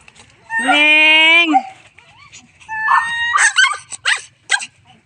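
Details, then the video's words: Several pet cats at home, called by their owner: a long, steady harmonic meow held about a second, then a shorter rising meow and scattered higher mews, with a woman's voice calling in between. "MEOW MEOW, MGA ALAGA KO NA PUSA"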